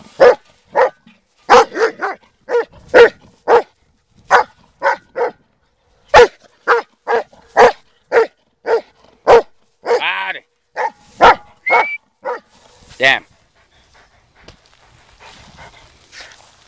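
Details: Black German Shepherd dog in a search-and-destroy session, giving a long series of sharp, loud barks at uneven intervals, about two per second at times, with a few whining yelps mixed in and brief handler commands between.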